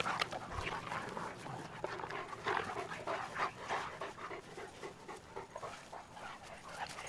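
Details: Two Cane Corso dogs, Tucker and Nessa, at play from Numenor Kennels; quick rhythmic breathy pants, about three per second, with bursts of rustling and scuffling between them.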